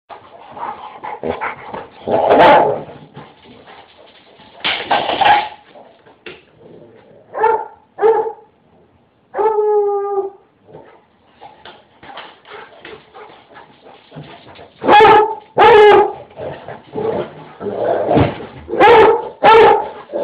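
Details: Basset hound named Brad Pitt barking noisily while chasing a large mixed-breed dog indoors near a doggie door; loud bays and barks come in irregular bursts, some with a drawn, howling tone, with scuffling and thumps between.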